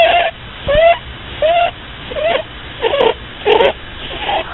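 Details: A sleeping pet rabbit snores in a series of squeaky, slightly rising tonal whines, one roughly every 0.7 seconds with short quiet gaps between, over a low indoor hum.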